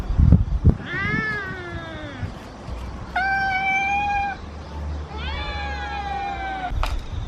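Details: Three cats, a mother and her kittens, meow together asking for food: three separate drawn-out meows, each about a second long, with a steady level pitch and a low rumble beneath.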